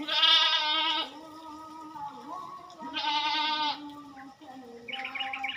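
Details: Goats kept by a farmer during a routine task done once every two weeks: two loud, harmonic-rich bleats about three seconds apart, each lasting under a second, with softer lower calls from other goats in between.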